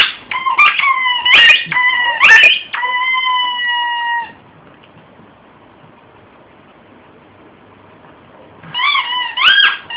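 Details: Shih tzu named Oski in a frenzy over a squeaky toy he is tearing apart indoors; several sustained high squeaks and sharp bursts, then four seconds of near quiet before more squeaking.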